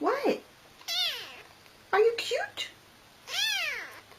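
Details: Pet cat talking with its human indoors: four loud meows spread over about four seconds, each a rising-then-falling harmonic wail, some short and chirpy, others longer and drawn out.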